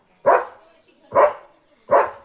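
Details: German Shepherd named Leo barking excitedly at another dog he has spotted, barking until out of breath: three loud, evenly spaced single barks, about one every 0.85 seconds, in an otherwise quiet setting.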